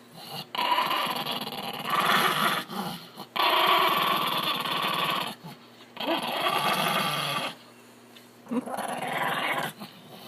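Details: Angry Chihuahua in a laundry basket, growling as someone tries to take it outside: long, rough, raspy bursts of about two seconds each, separated by short pauses, indoors.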